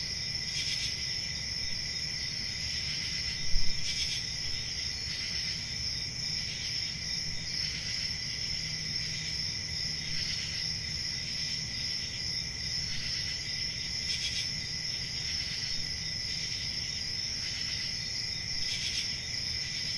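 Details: A summer-night forest chorus of crickets in the countryside: an even, high-pitched trill with a lower ringing band, pulsing every couple of seconds, over a low rumble, and a single short soft thump early on.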